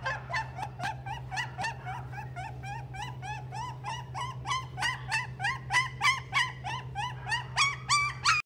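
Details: Toy Poodle at a pet shop in Nagano giving a rapid run of short, high, bent yips, roughly three each second for over eight seconds, growing louder toward the end, over a steady low hum.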